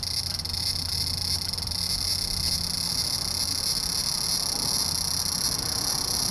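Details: Large brown cicada, 3 September 2015, when few were still singing. An unbroken shrill sizzle runs throughout, with a low rumble underneath.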